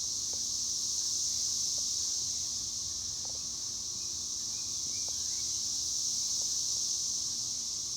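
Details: Cicadas, called chicharras, fill the air with a continuous, steady, high-pitched buzzing drone that holds unbroken for the whole stretch, with only faint scattered ticks and a low background rumble beneath.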